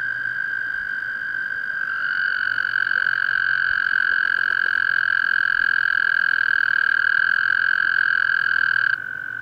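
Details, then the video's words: A toad at Clear Creek Reservoir, South Mountains State Park, gives a long, steady, high-pitched musical trill that holds for about seven seconds. "Toad calling"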